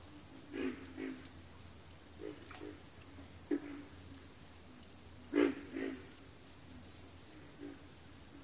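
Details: Backwater frog chorus with deep grunts given in pairs and short bursts every second or two, the loudest near the middle, set against a continuous high-pitched pulsing insect trill.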